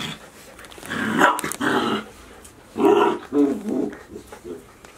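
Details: Golden Retriever puppies, 72 days old, a litter of six indoors, filmed 6 July 2018: two loud, rough, growly vocal bursts about a second long each, with shorter grumbles after them and a faint room hum.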